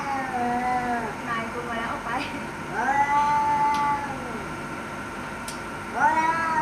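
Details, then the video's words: Quieter, overlapping yowls from fighting cats threatening each other. Drawn-out tones bend up and down over about seven seconds, with a few sharp clicks between them. "แมวกัดกัน เสียงแมวขู่กัน"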